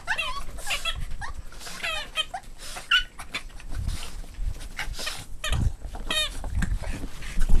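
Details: Boston Terrier puppies at play, giving a string of high, wavering whines and yips in quick bursts across the recording, with thuds and scuffling from the tussle underneath.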